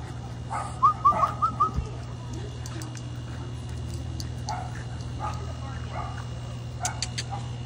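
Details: French Bulldog puppies, 13 weeks old, outdoors in North Chesterfield, Virginia, at 6:54 pm in March 2024, let out a quick run of five short, high squeaky whimpers early on, followed by low background hum and quieter sounds.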